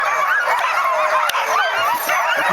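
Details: Sled dog team in 2010, lobbying to take their place on the sled before setting out: a dense, unbroken chorus of high yips and howling barks from many dogs at once, overlapping continuously.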